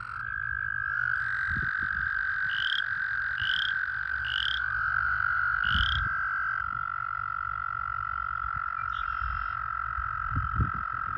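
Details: American toads calling in a breeding pool during breeding season, some in amplexus: one long, steady, even musical trill sustained through the whole stretch, with a few short rising high peeps from another caller early on and soft low rumbling underneath.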